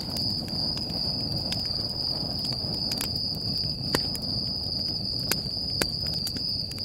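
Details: Crickets calling at night near a campfire at Stoney Creek Campground, Sequoia National Park, California: an even, shrill, continuous trill over low fire roar and several distinct snapping crackles.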